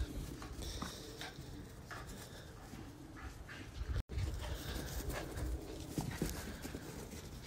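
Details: A male and a female Shiba Inu play outside, the male chasing and failing to catch her, with quick breathy pants and soft scuffling bursts over low outdoor rumble.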